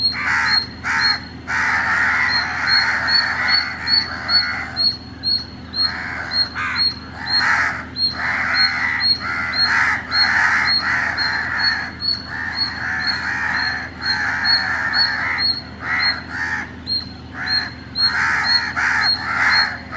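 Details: Chennai, Tamil Nadu, early morning: an Indian palm squirrel keeps up rapid, high-pitched chipping, about two notes per second, against frequent coarse, rasping calls in the background.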